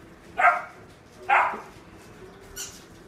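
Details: Mixed-breed dog, a black-and-tan and white female born 22 May 2019, kept at a pet shop; two short, sharp barks about a second apart, then a fainter third yip, over a steady low hum.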